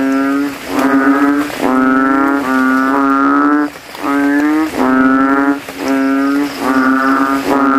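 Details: At night after rain, a banded bullfrog in a graveyard puddle swells its throat and calls against rivals; low buzzy bass notes of roughly one second each repeat steadily with short silent gaps between them.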